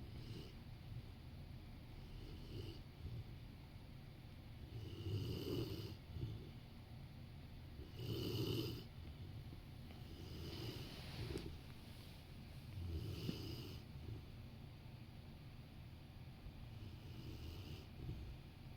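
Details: A large Rottweiler asleep next to someone working on the sofa gives slow, deep snores: low grumbling inhalations swelling every few seconds, some louder and more nasal than others, with the room otherwise quiet.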